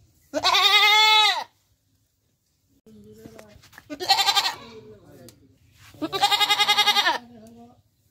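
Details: A goat (Capra hircus) gives three loud, nasal bleats, the last one wavering and shaky.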